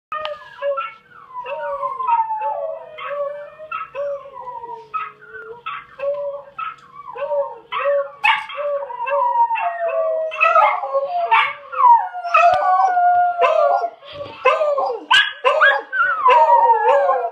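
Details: A miniature schnauzer and a beagle (Canis lupus familiaris) howl together in long, wavering, overlapping cries, set off by watching a video of themselves howling.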